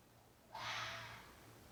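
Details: Red fox during mating season: one harsh, hoarse scream lasting under a second, breathy and rough with a faint tonal edge, rising suddenly out of quiet indoor-like background hum.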